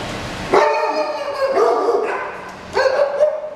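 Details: English Springer Spaniel puppies, nine weeks old: drawn-out, tonal whining yelps, one rising sharply then holding, a second steadier note, and a third sharp rising cry, with a person talking softly.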